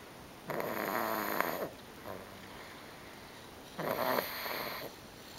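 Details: Exhausted pug Bobby, a female, sleeps soundly after a full day at grandma's house in May 2009, refusing to be roused; two loud, buzzy, rattling snores about three seconds apart, with softer breaths between, indoors.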